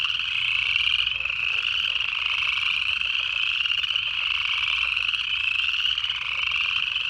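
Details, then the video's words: Wintertime calling of native Georgia Piedmont frogs in January: a thick mass of high-pitched, gently upslurred calls pulses continuously, with many callers overlapping. "Native Frog Calls"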